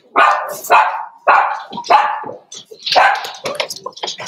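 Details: Six-week-old blenheim Cavalier King Charles Spaniel puppies playing in an indoor pen: a rapid run of loud, rough barks and yaps, several per second, mixed with higher squeaky yelps.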